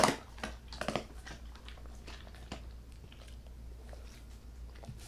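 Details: Dog eating ASMR-style: a dog chewing a dog-friendly bossam meal of chicken breast with 'kimchi' seasoned with paprika and tomato. Bursts of wet crunching and biting in the first second, then softer scattered chews in a quiet small room.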